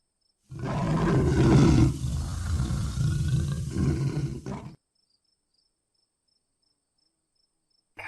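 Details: Jaguar roaring: a loud, low, rough roar lasting about four seconds, with broken rasping pulses and a brief pause midway, followed by silence.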